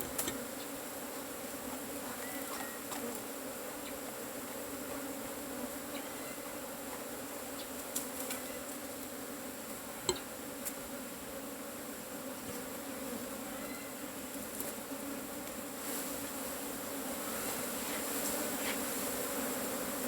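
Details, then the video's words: A colony of Asian honey bees droning without pause during harvest of their hollow nest. The even buzz is broken by occasional sharp knocks and clicks, including one loud snap midway. "ตีผึ้งโพรง ເອົາເຜິ້ງໂກນ"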